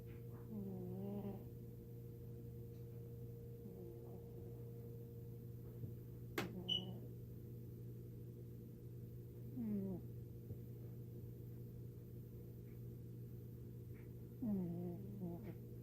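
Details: Tiger, a pet cat, vocalising in its sleep: four short, nasal, wavering squeaks spaced several seconds apart over a steady low electrical hum, with one sharp click midway.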